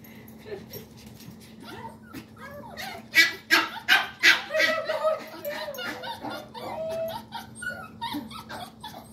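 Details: Several excited dogs barking and yipping as people gather to hang out; a burst of loud, sharp barks around the middle with whiny yelps between, over a steady low hum.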